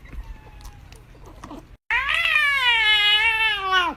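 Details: Domestic cat screaming for chocolate: after quiet background chatter, one loud, sustained, harmonic-rich yowl lasting over two seconds, slightly rising then falling sharply at the end.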